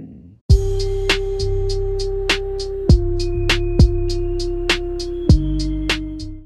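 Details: Music with a steady low tone and sharp drum-machine hits about every half second, no animal voice heard.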